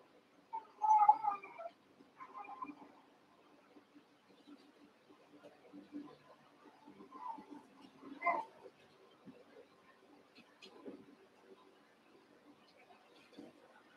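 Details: Cavalier King Charles Spaniel puppies, Daisy's six litter merged with Robin's two pups, playing together indoors; a high whining squeal near the start, then scattered softer whimpers and a sharper yelp midway, with faint rustling between.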